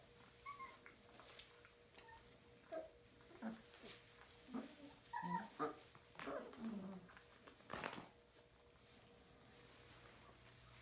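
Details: Puppies whimpering and squeaking indoors in short, uneven bursts of thin, high whines, some rising and falling, about one each second, with a steady low electrical hum underneath and a few sharp clicks.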